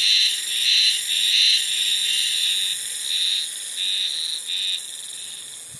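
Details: Early-summer cicada calling alone at a single spot: a piercing, high, rattling buzz swelling and dipping in regular throbs roughly every half second, growing softer and choppier toward the end.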